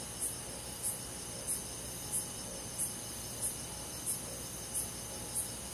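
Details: Crickets chirping on a midsummer night in forest countryside: a high, thin pulse repeating steadily about every two-thirds of a second, nine pulses in all, over a soft continuous insect hum and faint background hiss.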